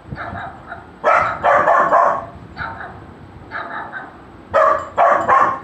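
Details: Golden retriever puppy reacting to a barking sound: loud, sharp barks, two in quick succession, then a quieter single bark, then another pair of loud barks near the end.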